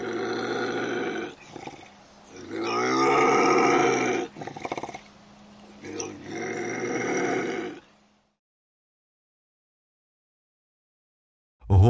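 A lynx gives a harsh, drawn-out yowling growl that wavers up and down in pitch.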